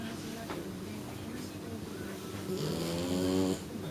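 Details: Snoring from Shiratama, a sleeping three-month-old female kitten, described as snoring like an old man: quiet breathing, then one longer buzzy snore with a droning tone near the end.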